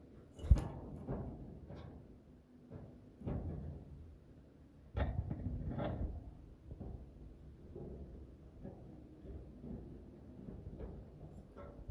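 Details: Low thudding percussion like timpani and drum hits, with no animal voice heard.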